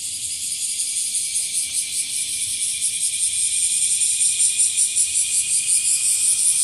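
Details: Loud, close bear cicada (washiwashi) song, the cicada found in trees and grass as it gains ground: shrill, metallic buzzing with clear rhythmic swells about two and a half per second, rising in volume.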